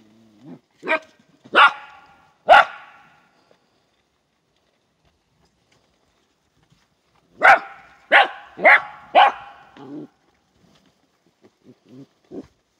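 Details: Border Collie barking at a goat herding school: three loud sharp barks, a pause of several seconds, then a fast burst of four barks, followed by a few softer short yaps.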